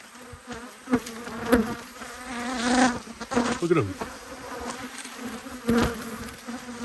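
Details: Angry honey bees swarming around two hives under inspection in Australia, March 2022: a dense droning buzz with individual bees swooping close, their pitch sliding as they pass; soft handling noises in the background.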